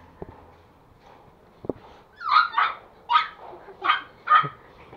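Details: Young male toy Pomeranian in Kathmandu, Nepal, barking out of jealousy while a person meets new Pomeranian puppies; five sharp yapping barks in quick succession after soft taps, with quiet background voices.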